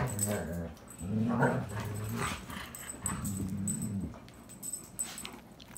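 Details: German Shepherd family of mother, father and pup playing together in the evening in a relaxed setting, with low rumbling growls in three bursts of about one second each, separated by short pauses and scuffling noise.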